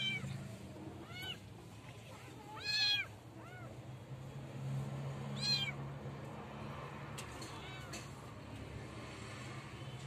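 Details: Street cat meowing in a North African village with a warm climate: a string of short, arching meows with rising then falling pitch, the clearest near three seconds and another around five and a half, over a low background hum.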